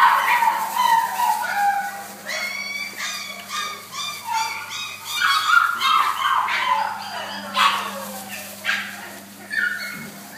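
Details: Cavalier King Charles Spaniel of the Blenheim colour, filmed at Dogcenter on 29-8-12, whimpering and yipping in dense, uneven strings of short nasal cries, with a few louder yelps and a constant low hum beneath.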